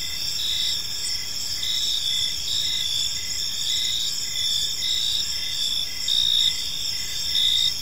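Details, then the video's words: Evening park crickets: overlapping high shrill trills sustained without pause, plus a lower rhythmic chirp pulsing about twice a second, all over soft low rumble. "Cricket Sounds in a Peaceful Park"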